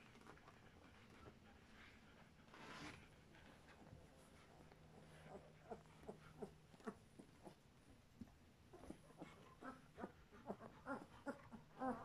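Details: Two-week-old German Shepherd puppies from one litter give short, high squeaks and whimpers, quickening toward the end.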